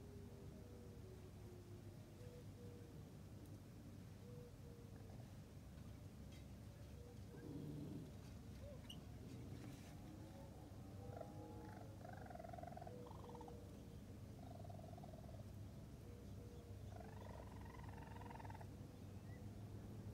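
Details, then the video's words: Raccoon kits, newborn and with their mother Tantail on their first visit, June 22, 2022, vocal young; scattered short chirps, some with stacked overtones, rise over steady low rumbling background noise, sparser near the start and clustering toward the end. "Mother Raccoon With New Kits * Chirping Sounds!"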